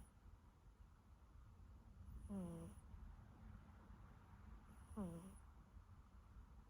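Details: Siberian kitten snoring while asleep: two squeaky, nasal breaths with a falling pitch, about three seconds apart, each with a faint airy hiss above it, over a low steady indoor hum.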